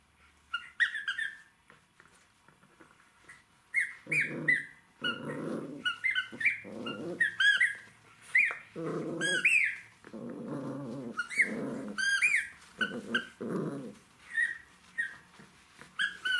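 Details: Jack Russell Terrier puppy playing with toys: short rough growling bursts, about eight across the stretch, alternating with high squeaky rising-and-falling squeals that sometimes overlap the growls.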